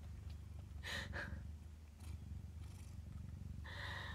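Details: Nursing kittens give a low pulsing purr under several short bursts of a woman's soft speech.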